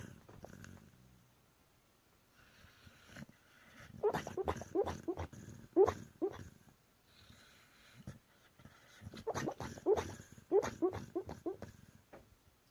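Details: A pet dog asleep and dreaming, its legs running in its sleep: muffled whimpers, soft woofs and huffing breaths come in two clusters of rapid bursts, around four to six seconds and again near ten seconds, with quiet gaps between.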